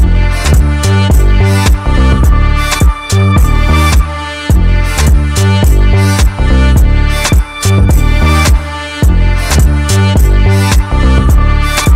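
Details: Loud rhythmic music with steady drum beats fills the whole stretch, with no animal voice audible.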